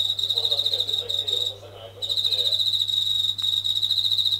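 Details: An indoor Japanese katydid calling at night near a kitchen ceiling, reportedly louder with the sound of running tap water. A high rasping buzz stops for half a second, then continues steadily, with murmuring lower sounds and a low hum.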